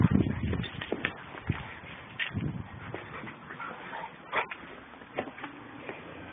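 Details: Captain and Samantha, two German Shepherds, in rough play: a loud low growl opens, followed by scattered short yips, whines and huffs amid scuffling sounds.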